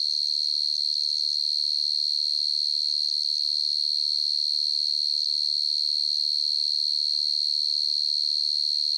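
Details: Field cricket (dế mèn, dế cơm) calling in the stillness of the night: a sustained high piercing trill, evenly pulsed and unchanging in pitch, against silence.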